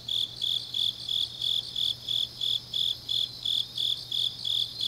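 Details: Night chorus of autumn grass insects from Changnyeong, South Gyeongsang Province: a steady train of bright, buzzy chirps spaced about a third of a second apart over a soft background shimmer.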